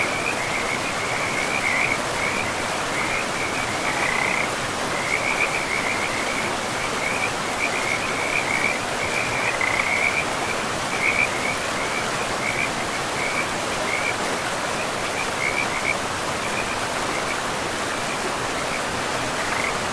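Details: Frog chorus by a river deep in a pristine, mossy forest: busy, trilled chirping repeats through most of the stretch, easing slightly toward the end, all layered over a continuous hiss of running water.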